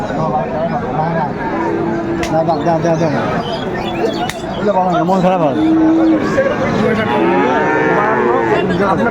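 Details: Friesian and cross-bred bull calves at the Raniganj cattle market in Dinajpur on 2 May 2024; repeated drawn-out harmonic moos and lowing overlap amid steady crowd chatter and market noise.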